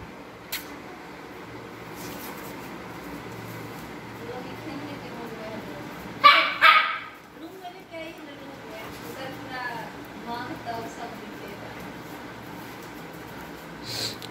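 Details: A Siberian Husky puppy and an adult Siberian Husky yip, grumble and growl in short bursts while play fighting, with a person calling to them nearby.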